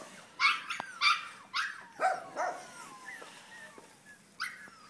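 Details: French Bulldog puppy yapping: several sharp high barks in the first half, then softer whimpering squeaks trailing off, and one last bark near the end.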